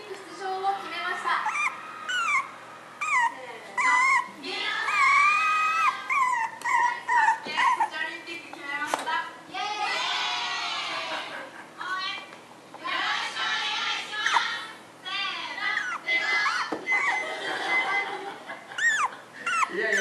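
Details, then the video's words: Female puppy Chamé, 61 days old, indoors calling to be let out through a closed door: high, wavering whines and squeals in bursts, with television speech running in the background. "Chamé screaming "Let me out!""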